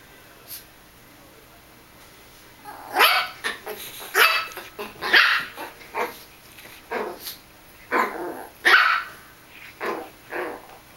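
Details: Russian Toy Terrier playing with a mouse on a bed, giving a run of about a dozen short, sharp, high yaps at uneven intervals after a quiet start, some closely paired, others spaced a second apart.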